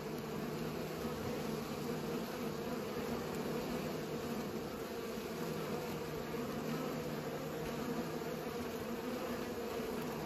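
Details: Continuous drone of pollinating bees, a smooth low buzz that stays level, with a faint mechanical hum underneath.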